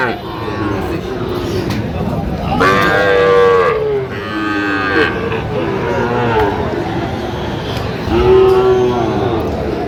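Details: Sahiwal bull calves at a cattle market in Jamalpur, Bangladesh, on 31 August 2025. Three loud, drawn-out moos, each falling slightly at the end, rise above a steady murmur of market noise and low voices.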